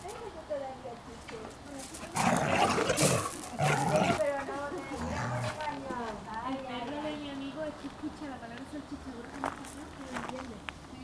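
Podenco hounds make a drawn-out chorus of wavering whines and howls that slide up and down in pitch. A burst of louder barking comes early on, and a person talks over the dogs.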